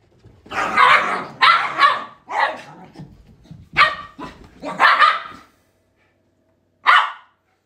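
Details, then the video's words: Shiba Inu dogs barking in a quick run of loud, harsh barks over about five seconds, with low grumbles between them, then a pause and one final bark. "My Shibas always do this"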